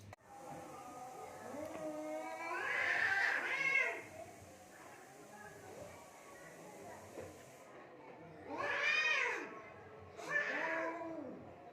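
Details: Cats fighting near mud and water in Assam, India: drawn-out, wavering yowls with rising and falling pitch, one long howl early on, then two shorter bursts close together near the end, over faint background hiss.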